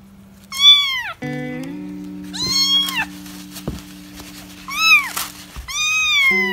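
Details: Kittens meow in a compilation of hungry, scared and lonely kittens: four high, bowed meows spaced through the clip, with sustained background music notes underneath.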